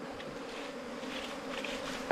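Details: Bees nesting inside a four-metre length of bamboo, described as small, rarely found wild cavity-nesting bees. A steady, low droning hum runs throughout, with one sharp tap near the end.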